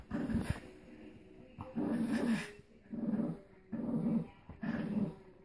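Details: Boston Terriers Phee and Wally at play in a tug game: five steady, low, rumbling growls, each about half a second long and spaced roughly a second apart, clear over quiet background.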